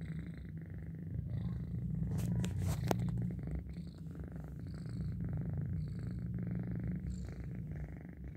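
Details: A pet cat asleep and purring loudly, an even, rapid low rumble with gentle rises and dips in volume, a few soft clicks and rustles near the start, faint high twitters behind.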